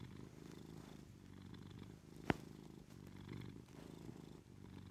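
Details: Kami, a female Maine Coon cat, purrs in a low, steady rumble that pulses gently with each breath as a morning alarm in bed, waiting for her owner to get up; a single sharp click breaks in briefly midway.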